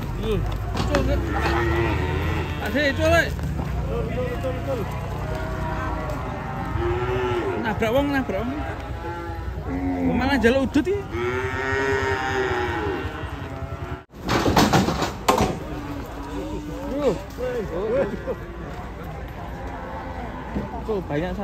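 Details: Cows described as raging and running loose give repeated loud, drawn-out moos with wavering, arching pitch, several overlapping, over steady background music.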